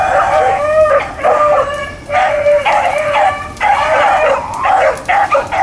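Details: Blackcreek and Bluetick hounds running rabbits on April 4, 2013: several dogs give overlapping, drawn-out, ringing bays in bursts with short gaps, some notes sliding downward, over faint background hiss.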